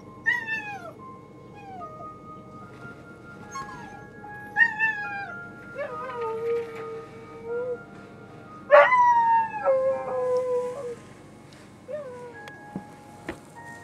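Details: Dog howling over steady, held musical tones; a string of wavering, sliding howls, some rising then dropping, about a dozen in all, with the loudest burst late in the run.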